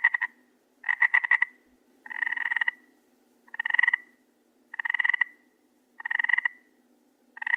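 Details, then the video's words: A frog at night gives a steady run of grating, buzzy croaks made of rapid pulses, about six calls each near half a second long, separated by short silences. "SOM DE RÃ"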